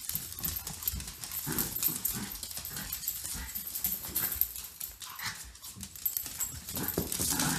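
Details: Two pet dogs, Grace and Button, a cockapoo and a shih tzu, during playtime: rough scuffling with low, gruff play growls and snorts, bursts of harsh broadband noise, steady throughout.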